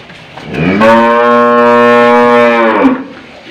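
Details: An old, stubborn cow protests while a rope is fitted through its nose. It gives one sustained, strongly harmonic low moo of about two seconds, level in pitch, then trails off into background noise.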